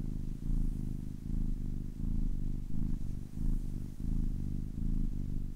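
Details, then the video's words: Close, soft purring from a ten-week-old kitten, rumbling pulses rising and falling in a breathing rhythm, slightly quieter and less even than a steady drone. "10 weeks old kitten purring"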